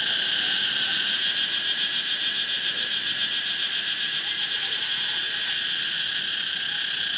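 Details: Pompania cicada calling: a dense, constant high-pitched buzz with a fast, rattling pulse woven through it. The sound stays level and never breaks.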